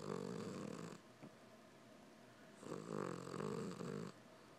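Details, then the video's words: Domestic cat Winston asleep and snoring like a person; two loud, buzzy, rattling snores, each about one to one and a half seconds long, separated by a quiet pause. "Cat snores like a person"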